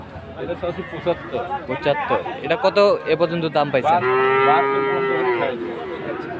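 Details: Friesian and crossbred bull calves at Aftabganj cattle market in Dinajpur, Bangladesh, on Saturday 18 March; a long, steady moo with many stacked harmonics rises over busy market chatter and men talking.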